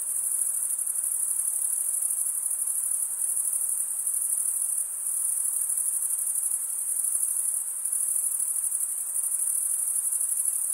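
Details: Crickets stridulating with their wings: an unbroken, piercing high trill, steady in pitch, softening briefly near the middle before resuming at full strength.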